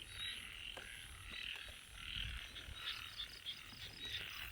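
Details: Small frogs heard but unseen, calling at night in a rice field during drizzle: a dense, steady chorus of high, chirping calls overlapping continuously, with occasional brief louder notes standing out.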